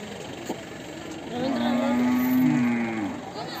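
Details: Hallikar bull offered for sale at the Siddaganga jaatre fair, Nelamangala taluk: one long, low, steady moo lasting about a second and a half, rising slightly then fading, over a constant crowd murmur and background hum.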